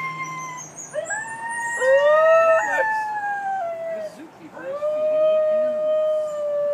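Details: Captive New Guinea singing dogs at Palm Beach Zoo singing: overlapping tonal howls that swoop upward and hold, several voices layered, with a brief dip and a fresh rising wail near the end; faint human speech underneath.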